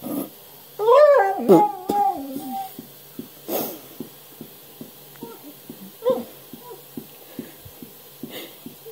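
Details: Basset Hound indoors giving a wavering, whining howl with harmonics for about two seconds, then quieter soft yelps. A sharp noise follows, and faint ticking clicks repeat through the rest of the recording.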